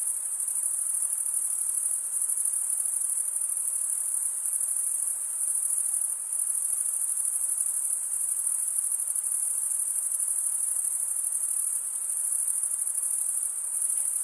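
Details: Male crickets stridulating, wing rubbed along a comb-like row of teeth, giving a constant piercing trill with a faint rhythmic pulsing and a couple of slight dips in loudness.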